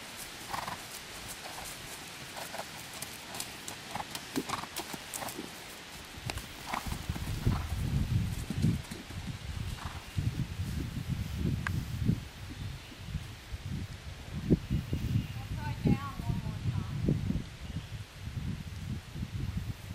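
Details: On a third cross-country schooling session, a young jumping horse moves at pace. Soft hoof sounds at first give way to a dense run of deep, rapid thuds of galloping hooves, with faint chirping late on.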